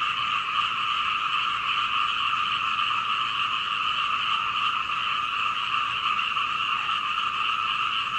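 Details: Many frogs calling at night in Hunei, Kaohsiung, Taiwan, captured on 21 May 2019 through a second-floor window using a Canon PowerShot camera; steady, loud, dense croaking chorus, rapid pulses blending into one continuous rattle.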